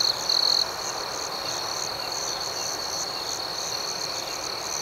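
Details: Night-time cricket chorus: a continuous high-pitched ringing trill with a softly pulsing higher layer. One louder, nearer chirp stands out briefly in the first second, then the even chorus carries on.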